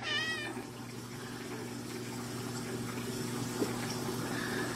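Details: Domestic cat giving a short wavering meow at the very start, followed by a steady hum and watery background noise for the rest.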